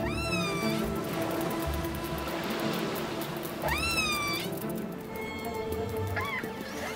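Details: A pod of killer whales hunting salmon close to the shore trade squealing, rising calls as they coordinate the hunt, with a calf learning, over soft music.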